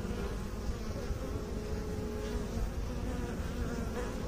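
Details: Honey bee hum heard as a soft, buzzy drone, partly masked by heavy low-pitched rumbling noise, with a faint steady tone emerging midway.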